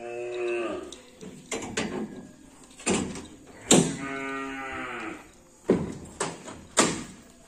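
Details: Karapan sapi bull from Madura, East Java, Indonesia, a new racing animal of team Ser Naser, recorded around Ramadan. Two harmonic moos, one short at the start and a longer one mid-way, interrupted by sharp knocks and thuds.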